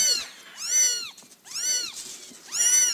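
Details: Month-old Scottish Fold kittens cry out in a run of shrill, bowed meows, four clear calls over three seconds, each rising then falling, with soft household noise underneath.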